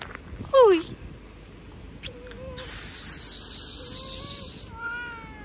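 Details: Cat with a sharp, sudden descending cry, then a stretch of hissy broadband noise, followed by a few soft, short mews near the end.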